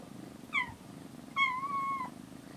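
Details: Domestic cat in a cat room where rescued kitten Aira, on her 27th day in care, spends time with cat Shipi: a short falling meow, then a longer, level, drawn-out meow about a second later, over a soft room hum.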